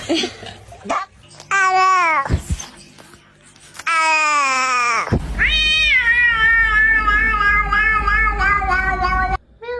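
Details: Domestic cat in a compilation of funny cat sounds: long, drawn-out harmonic meows that rise and waver, one stretched for several seconds, with music playing underneath.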